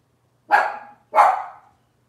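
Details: Cavalier King Charles Spaniel puppies of Robin's litter, indoors: two sharp, loud barks about half a second apart against a silent background.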